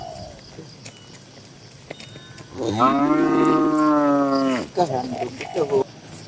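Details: Tame cattle in a crowded farm barn with dozens of cows. One sustained, rich moo lasting about two seconds, then a few short, lower calls over faint barn noise.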